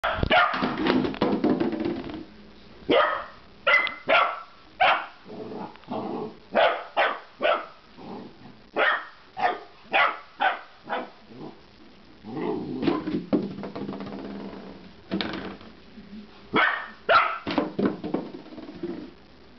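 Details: A Golden Retriever puppy, unsure what to make of a milk jug, gives a run of short, sharp, high barks in quick bursts.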